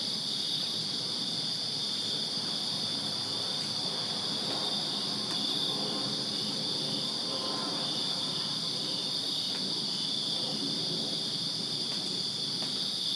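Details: Backyard crickets on a Virginia summer night keep up an unbroken shrill chorus, many insects blending into a steady high trill, faint low murmur and distant rumble beneath.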